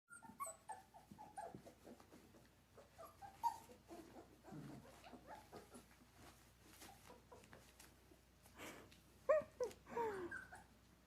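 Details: Giant Schnauzer puppy playing indoors, biting another dog's tail; soft scuffles and panting give way to high, thin whines that rise then slide down near the end, with a woman's voice talking to the puppy.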